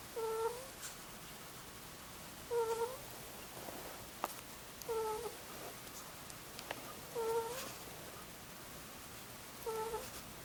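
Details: Muchin, a sleeping two-year-old Angora ferret, gives gentle cooing snores. Each is a short, thin, whistled note repeating roughly every two and a half seconds, quiet against a hissy indoor background with occasional small taps.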